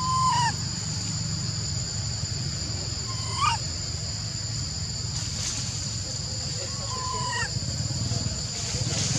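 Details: Monkey named Lori, unable to use her legs, calling to Amari for help getting up a tree among other little baby monkeys; three clear tonal calls, each slightly falling, spaced about three and a half seconds apart, over a steady high insect-like hiss.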